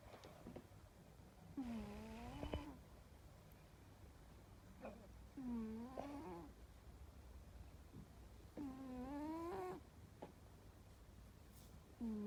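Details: Domestic cat snoring while asleep: quiet, drawn-out, nasal snores with a wavering tone, repeating roughly every three to four seconds.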